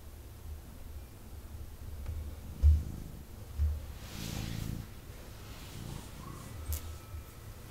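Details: Indoor male kitten purring as he snuggles with his owner; low, uneven rumble broken by a few soft thumps and rustles as he shifts.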